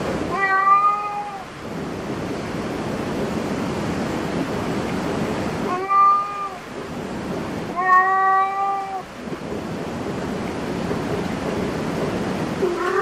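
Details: Cat at a cat cafe giving three drawn-out, steady-pitched meows, near the start, around six seconds and around eight seconds, with a fourth beginning at the very end, over a constant broad background hiss like surf or room rumble.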